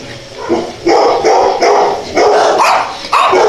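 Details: Cute dogs barking: a rapid string of five loud, rough barks, each about half a second long, coming in quick succession.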